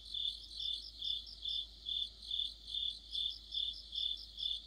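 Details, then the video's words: Crickets singing together in deep autumn near a streetlight, a high-pitched chirping pulse repeated roughly 140 times a minute, layered with a softer rapid trill from a second insect voice. "가을의 한 복판 곤충들의 합창"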